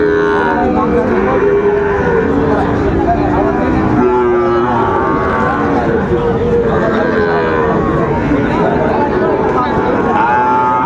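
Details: Sahiwal bull calves at Raniganj cattle market in Dinajpur, Bangladesh, 2 May 2024: drawn-out low lowing calls recur through the stretch, half-buried under a dense hubbub of bargaining voices and market crowd noise.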